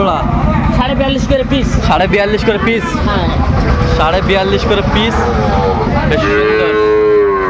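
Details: Bellowing Sahiwal bull calves among 24 purchased by a Jashore farmer in Bangladesh, 12 September 2025; several overlapping drawn-out moos, one long steady low call near the end, over crowd chatter and vehicle noise.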